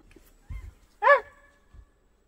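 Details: A red fox calling near a campervan in a forest, a single short, harsh, hoarse bark rising then falling, preceded and followed by faint low thumps.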